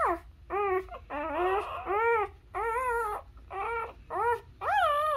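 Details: Newborn Labrador puppies suckling from their mother cry in thin, bending squeals, about seven separate whines, some sliding down at the end and the last one rising sharply, with short pauses between.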